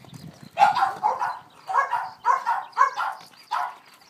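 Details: Boston Terrier named Rose, overexcited during ball play, utters six separate hoarse, whining yelps, each about half a second long and spaced roughly half a second apart, over a quiet background.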